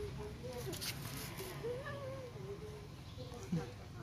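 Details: Siberian Husky vocalizing in a wavering, meow-like tone that climbs and dips in pitch through several drawn-out syllables, with a faint soft thump near the end and steady low background noise.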